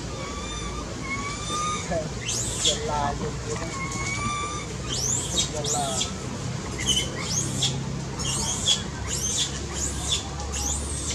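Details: Baby monkey crying loudly, calling for its mother's care: drawn-out whistled cries with stacked harmonics, interleaved with sharp sweeping shrieks that rise and fall, repeated throughout over a steady low rumble of traffic.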